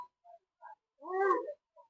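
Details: A village cat in Indonesia meows because it wants to eat bread. A few short, soft chirps lead into one loud, drawn-out, nasal meow that falls in pitch, followed by a brief faint chirp.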